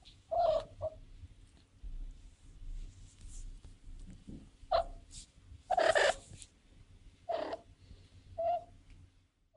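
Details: Calls of a young female cat in heat: brief, strained mewing yowls come at irregular intervals, one louder, harsher cry near the middle, over faint low background rumble.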